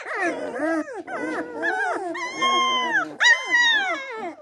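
Springador puppies howl together in wavering, high, sliding notes that rise and fall over each other.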